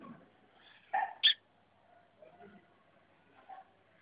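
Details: Fighting puppies give two sharp, high yelps in quick succession about a second in, followed by faint scuffling and soft low murmurs in a quiet indoor setting.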